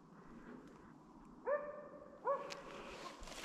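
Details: Slovakian hound Arrow baying at a wild boar held in place during a November 2022 driven hunt in Sweden: two ringing barks, rising then flattening, come close together after a quiet stretch, with faint forest rustle.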